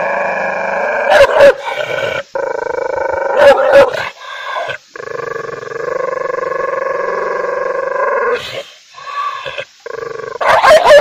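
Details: Angry dog giving long, sustained growls with a steady harmonic tone, broken by short sharp barks and brief pauses.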